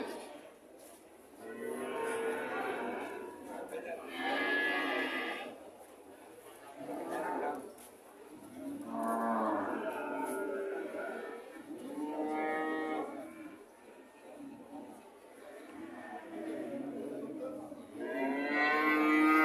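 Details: Cattle mooing over and over: roughly six to seven moos, some bellowing and rising, others short and lower, spaced a few seconds apart with quiet gaps between them.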